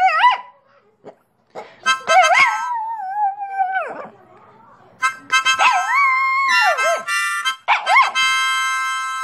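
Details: Pet dog howling along with a person's harmonica playing: wavering, sliding howls that rise and fall, broken by pauses, mixed with steady harmonica chords and brief laughter.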